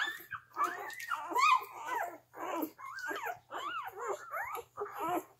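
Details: Newborn Gerberian Shepsky litter, three days old, nursing from their mother: rising and falling whiny squeaks and thin whimpers in short bursts, several pups calling over one another, with brief quiet gaps.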